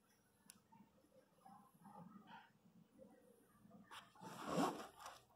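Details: Pinscher named Lara during the natural birth of her puppies indoors: low soft murmuring, then a loud rising-and-falling whine with bright harmonics near the end.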